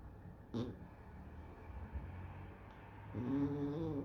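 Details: Exotic Shorthair cat dozing lazily, soft low rumbling snore with a brief nasal snort early and a longer, louder snoring breath toward the end, in a quiet indoor setting.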